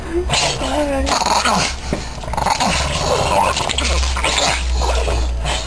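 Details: Two Boston Terriers playing tug of war, the smaller dog the vocal one: rough, continuous growling with whiny rising and falling tones and short snarls, over scuffling noise and people's voices.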